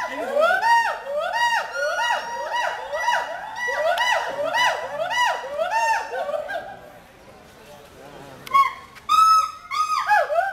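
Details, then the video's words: Zoo-kept hoolock gibbon in Mirpur, Dhaka, Bangladesh, giving a long steady chain of arching hoots for several seconds, followed by a quieter pause and a few sharp, higher rising whoops. "Funny Ulluk sound in Mirpur Zoo"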